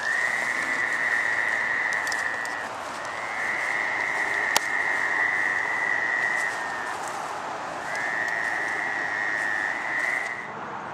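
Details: Fowler's toad (Anaxyrus fowleri) calling in May–June 2013 at North Burial Ground, Providence, Rhode Island: long, nasal, buzzy bleats, each lasting a few seconds, over a steady background hiss.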